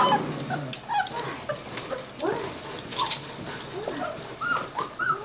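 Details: Rescued litter of Aussie-Cocker mix puppies making short, thin whines and squeaky yips that rise and fall, scattered across a few seconds over rustling and shuffling noise.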